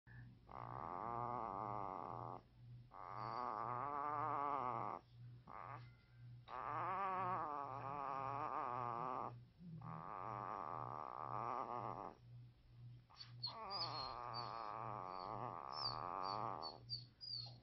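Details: A newborn agouti wolfdog (wolf-husky) puppy gives a run of thin, wavering growls, each lasting two or three seconds.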